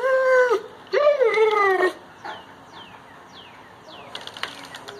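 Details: Great Pyrenees dog that dislikes its injured owner on crutches gives two loud, sliding whines, each bending up then falling away, followed by quieter background with repeated downward chirps and light clicks.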